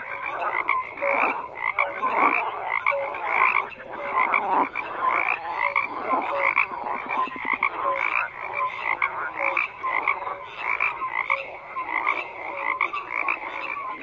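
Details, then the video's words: Frogs fill the recording with dense croaking, overlapping harsh pulsed calls and occasional short tonal blips, a steady chorus of many callers with no breaks. "FROGS CROAKING"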